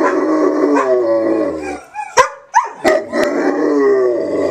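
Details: Two pet dogs, a Black Russian Terrier and a Wheaten Terrier/Poodle mix, howling together indoors: a deep sustained howl sliding downward with a higher voice above it, broken by sharp clicks, then both resuming in long, steady tones.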